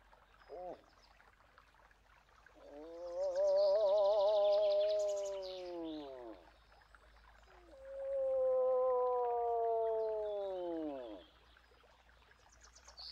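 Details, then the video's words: Two long wavering moans from a moose, each lasting about four seconds and separated by a short pause. The first wobbles slightly in pitch, the second slides gently downward. Soft birdsong plays high above. "Eland geluid / Elch geräusche / Elch röhren / Verso alce"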